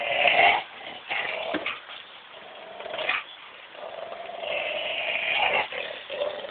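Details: During a tug-of-war game between Belgian Shepherd Buddy and Labrador Collie cross Missy, a steady throaty growl surges loudly at first, eases, then builds again in a long rumbling stretch.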